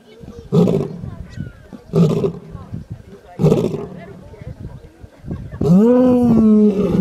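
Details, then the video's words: Sleeping lion giving low, breathy grunting puffs about every one and a half seconds, followed by a longer tonal, wavering voiced sound near the end. "A Lion Roaring While Sleeping"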